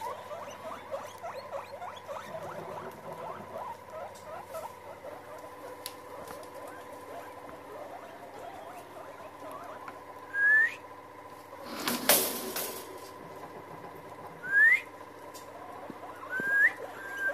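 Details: Several guinea pigs gathered together. A steady low rumble and soft chatter runs throughout, then three sharp rising whistled wheeks come a few seconds apart, with a brief loud burst of noise between them.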